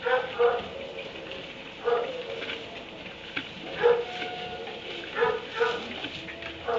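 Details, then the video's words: Dog barking from a kennel in a barn at 3am: short, harsh barks in scattered bursts, some doubled, with quiet gaps between and a steady background hiss. "Barn 3am barking dog in kennel"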